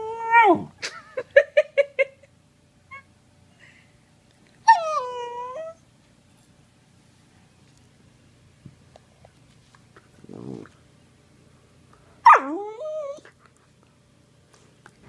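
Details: A Sheprador puppy (Australian Shepherd-Blue Heeler/Lab mix) at play gives quick high yips, then drawn-out whines that slide downward in pitch.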